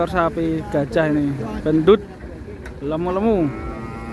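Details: Qurban cattle being unloaded from a truck, some of them raging, low drawn-out lowing in several bursts, one ending in a sharp upward swoop, a later moo rising then falling, with human voices behind.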